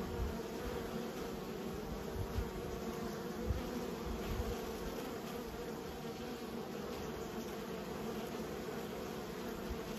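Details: Steady buzzing of raised honey bees, a continuous low-pitched drone with stacked humming tones, occasional soft thumps and small surges, lasting the full ten seconds.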